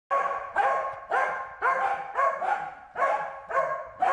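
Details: Corgi named Wynee barking while herding a bee: loud harmonic barks repeated about twice a second, steady and insistent, with no other sounds.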